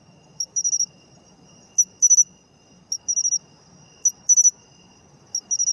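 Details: Pine cricket, or matsumushi, calling in autumn, a high ringing trill broken into short bursts of rapid clicking pulses, roughly one burst per second with irregular gaps, a soft low hum beneath.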